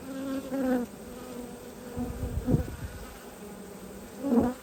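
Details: Close-up buzzing of honey bees during a beehive inspection, 19 March 2022, a low humming drone that rises briefly at the start, fades, then returns as a short loud buzz near the end, amid rustling and knocks.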